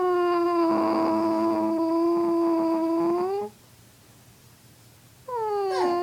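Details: Indoor pet dog howling back at its owner's weird noises: one long steady tonal howl lasting over three seconds that rises at its end, a lower human-like tone beneath it, then silence and a second howl beginning.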